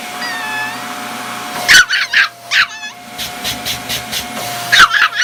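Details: A puppy barks at a vacuum cleaner in a house: sharp, high yapping barks in quick bursts against a steady mechanical whine and hum, with a brief squeaky whine at the start.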